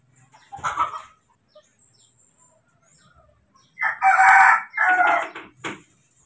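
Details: Moni, a little baby monkey left behind while his father picks fruit, gives a furious outburst: one harsh cry, a pause, then a long raspy scream broken into two parts, with a short squeak after.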